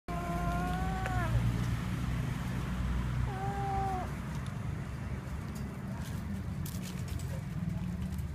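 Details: Kitten that has caught a little mouse: two drawn-out, slightly wavering mews about two seconds apart, over a steady low rumble of background noise.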